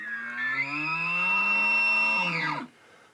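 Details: A bugling elk: a high, sustained whistle, thought to be produced aerodynamically in the nostrils, over a low, rough red-deer-like roar from vocal fold vibration, ending in a sharp downward slide.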